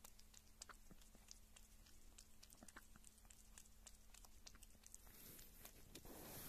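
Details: A kitten eating and drinking close up in a small room: quick irregular chewing clicks and lapping smacks over a steady low hum, with the background growing slightly louder toward the end.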